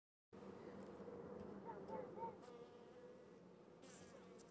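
Honey bees fill the air with a continuous low hum, rich in overtones, that rises slightly in intensity midway through. The restless drone reflects bees upset by an earwig intruding on their comb.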